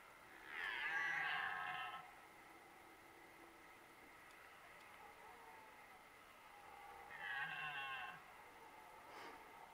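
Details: Two red deer stags roar during the 2023 rut, giving drawn-out, harmonic roars several seconds apart across a quiet background.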